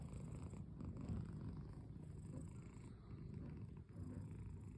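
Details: Cat purring close up, a deep rhythmic rumble that swells and eases in gentle pulses over a few seconds in a quiet room.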